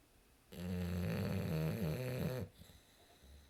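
An English bulldog gives a long, low, rattling snore with a rough, throaty drone.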